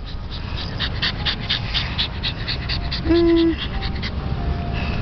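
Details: Pug playing at a park, panting quickly and steadily in short breathy puffs several times a second. A brief high tone sounds midway through, over a constant low outdoor rumble.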